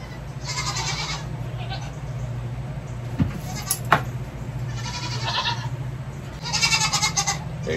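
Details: Baby goats on a farm, one kid being hung in a hoof-trimming swing; high wavering bleats in several bursts over a steady low hum, with clicks and a short thump.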